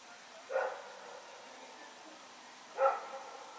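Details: Two separate barks about two seconds apart from Rex, a dog running around at night, recorded 21 September 2018, with a soft hissing background between them.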